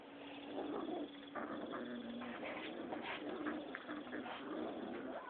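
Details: Rottweiler pups, six weeks old, wrestling in play: a near-continuous low grumbling growl broken by brief whiny notes, with a constant mechanical hum underneath.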